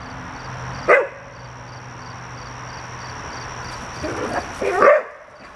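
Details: Red standard poodles Cayenne and Clifford at play with a ball: one abrupt bark, a long four-second gap filled only by a constant background hum and faint ticking, then a second, slightly drawn-out bark.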